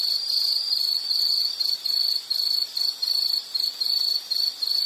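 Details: An insect calling amid nature sounds gives a high, shrill trill that starts steady, then breaks into rapid separate chirps, a little more than one per second, with faint higher overtones.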